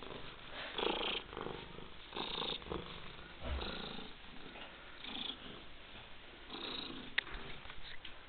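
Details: Purring from a white European Shorthair cat, a continuous soft rumble with gentle swells every second or two and a single sharp click near the end, over faint rustling.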